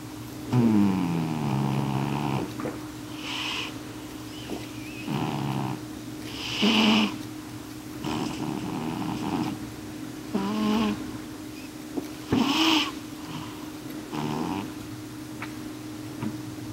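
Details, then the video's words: A male cat dozes at night on a couch, snoring as loud as he can. Irregular raspy, wheezing breaths rise in bursts every two seconds or so over a constant low hum. "Snoring Cat"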